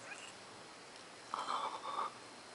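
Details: Five-week-old grey squirrel baby, rescued after being knocked from its nest and left out for over twelve hours on a chilly day, dehydrated and cold, giving two short squeaky tonal cries in quick succession, each about half a second.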